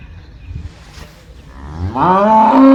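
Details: Soft low rumbling, then a cow's moo swells in, rising in pitch and growing louder until it holds a steady, deep tone at the end.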